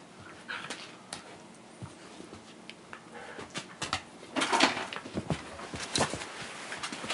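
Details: A Shiba Inu couple, two dogs full of surplus energy, playfully nibbling at each other; short scratchy yelps and snorting bursts come in quick irregular clusters, loudest around the middle, over a faint scuffling background.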